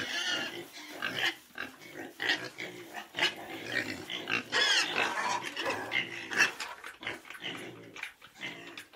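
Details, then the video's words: Small group of pigs penned together, giving a busy stream of snorting grunts and sharp squeals, overlapping and uneven, some calls rising into shrill squeaks, with constant shuffling movement between them. "Small Group Of Pigs In Pen Ambience"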